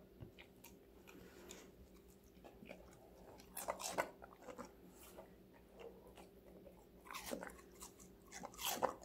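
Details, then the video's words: A five-month-old female Golden Retriever named Connie crunches through various vegetables, recorded indoors as ASMR. Soft chewing builds into sharp crunchy bites around the middle and near the end, over a low steady hum. "강아지 각종야채 먹방 l 사각사각사운드 🌿Various vegetavles🌿REAL SOUND [ASMR]"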